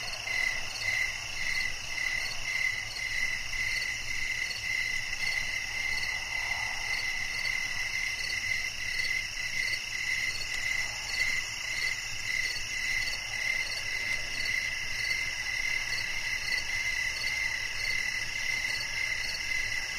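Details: Cricket song offered as soothing nature sound for sleep, steady and unbroken: rapid high chirps repeat near twice per second beneath a dense, shimmering wash of higher-pitched insect trills throughout.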